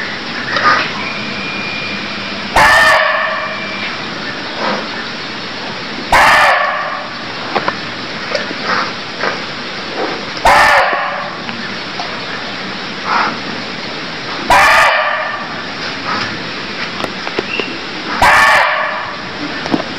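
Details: Barking deer calling in Cambodia: five loud, harsh, bark-like cries, each under half a second, repeated about every four seconds over constant background hiss with scattered faint chirps.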